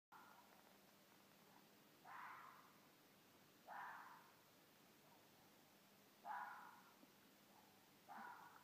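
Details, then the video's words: Mated pair of wild red foxes calling at night in Midhurst, England: four short, harsh, barking calls, each falling in pitch, spaced irregularly about two seconds apart over a steady background hiss. "Red foxes - Vulpes vulpes - Mating call at night - Mökunarkall"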